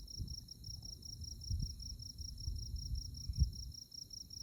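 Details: Night insects in moonlit Kansas tallgrass prairie near Manhattan give an even, high-pitched train of quick chirps, several per second, against a soft low rumble of wind.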